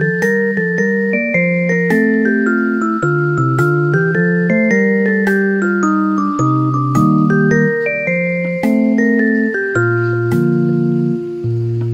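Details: Only melodic mallet-percussion music with bell-like notes and a steady rhythm is heard, with no animal sounds.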